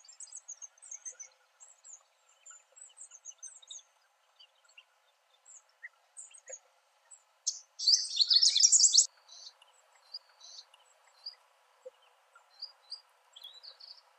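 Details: A family of dwarf mongooses at Berg-en-Dal Rest Camp, Kruger National Park, follows a mother carrying her baby to a new den, giving high, thin peeping chirps with a louder harsh burst midway.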